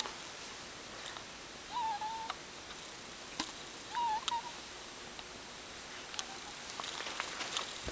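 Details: A sleeping pet ferret snoring indoors: two thin, whistled nasal squeaks with a slight wavering pitch, one near two seconds and one near four seconds, with soft clicks and rustles in between.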